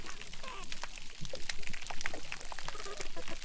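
Dense underwater crackling from crustaceans, a steady fizz of sharp, irregular snaps and pops.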